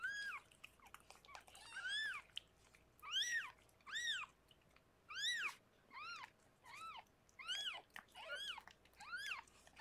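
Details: Rescued pregnant cat Harlequin, indoors in foster care, giving birth to six kittens: about eleven shrill, arched mews rise and fall in quick irregular succession over a faint room hiss.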